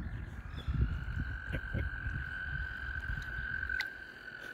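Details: Frogs in a mating gathering beneath a kayak paddle give one continuous, even, high trill throughout, with soft low knocks and water noise underneath.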